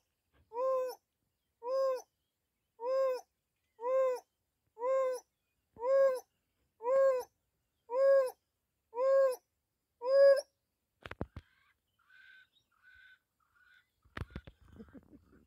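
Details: African wild dog (Lycaon pictus) hoo call: a steady run of soft, owl-like hoos, about one each second. A pack member separated from the group gives this long-distance contact call, muzzle held close to the ground, and it carries several kilometres.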